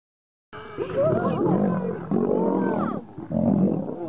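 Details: Two wild male lions fighting to become king: silence, then harsh, loud roaring snarls in overlapping bursts with wavering harmonic growls. A brief dip comes near three seconds before the snarling resumes.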